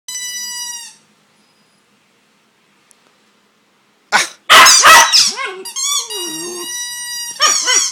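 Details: Male Border Terrier playing with its owner indoors: a high, steady whine at the start, then a pause, then harsh noisy bursts followed by a run of squealing, harmonic yelps that bend in pitch.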